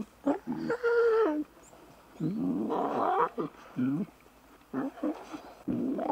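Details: Young wild lions playing together give drawn-out, moaning harmonic calls and shorter grunting squeals in separate bursts with brief pauses between them.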